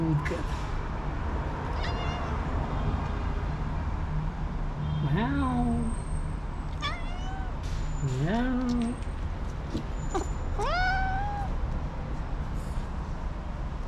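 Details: Black-and-white female house cat being petted after refusing a snack, meowing contentedly; three drawn-out meows a few seconds apart, each rising then sliding down, the last one higher and longer, over steady low hum and brief soft voices.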